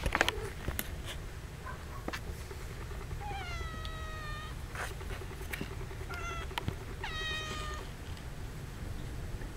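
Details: Kittens roughly two and a half weeks old. Two drawn-out, steady-pitched mews carry rich stacked overtones, the second shorter and following a brief squeak, amid faint rustles and a few clicks from moving bodies or bedding.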